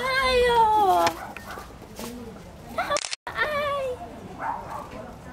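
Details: A kitten, tame and unafraid of people, gives a drawn-out falling meow rich in harmonics, followed by a shorter meow and a softer one, with light background noise.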